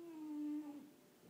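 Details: Sleeping female French Bulldog snoring indoors: one steady whistling, nasal tone that holds level for about half a second, then wavers and fades, with faint quiet room noise behind.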